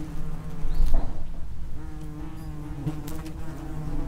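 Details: Several common wasps (Vespula vulgaris) humming at an underground nest entrance, a steady low drone with wavering harmonic bands and a louder pass near the start.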